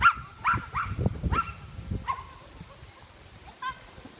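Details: Welsh Terrier Bertha competing in class III agility at Rauma, 22 July 2018, disqualified; a quick series of five sharp, slightly rising barks opens, then fades into crowd noise with a faint yelp near the end.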